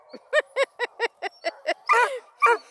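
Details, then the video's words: Registered hounds kept near Kingston, Ontario, Canada (Blueticks, Redbones, Black and tans) voicing together: a quick run of seven short, evenly spaced yips, then two longer, fuller bays. "Awesome hound crew want to be heard! Blueticks, Redbones, Black & tans"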